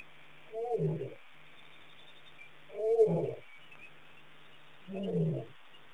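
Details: A lion at Pete's Pond, Mashatu Game Reserve, Botswana, on June 22, 2010, gives three deep, breathy huffs, each about half a second long and spaced roughly two seconds apart.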